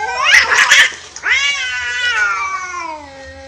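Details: Stray cats in a natural fight where an orange cat loses: a harsh, spitting burst of hisses opens, then a long wavering yowl slowly slides downward over a faint low hum.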